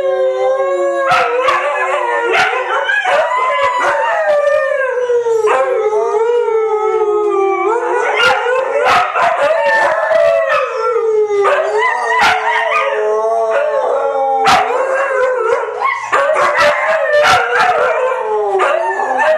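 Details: A long howling session from three white huskies, voices weaving together with sliding, wobbling tones, one dropping low near seven seconds before others rise again, interspersed with short barky yips and clicks.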